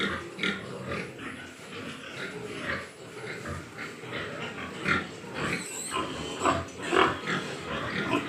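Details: Grunting and squealing Large White Yorkshire pigs at a farm in Nadia district, West Bengal; irregular bursts about twice a second, some higher squeals standing out near the end.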